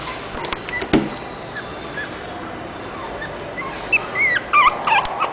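A French Bulldog gives a quick burst of high, sliding whines and yips after a quiet stretch.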